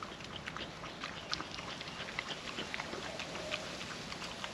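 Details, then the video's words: A hungry young female dog licks wet food off a trapper mat outdoors on a windy day, giving rapid, sticky clicks and slurps close to the microphone over a constant breezy hiss. "Wet food ASMR dog eating sounds"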